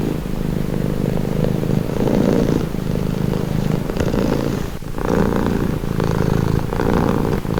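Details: Steady low purring from a domestic cat, the rumble growing stronger and fading in slow breathing cycles about every second, heard alone as a calming sound.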